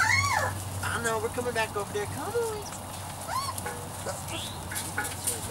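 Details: Young Weimaraner x Vizsla puppies, 3-4 weeks old, from Biscuit's litter, making thin rising squeaks and short arched whimpers repeated every second or so over a steady low hum and faint voices.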